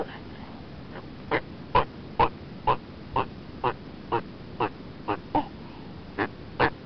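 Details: Turtle calling: a run of twelve short, harsh, breathy pulses, starting about a second in and repeating roughly every half second at a steady pace, over a faint low background hiss.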